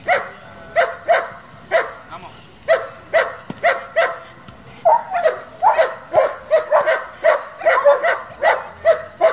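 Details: German Shepherd from a breeding and competition group barking steadily, loud barks repeated roughly twice a second in a long run, quickening and overlapping toward the end.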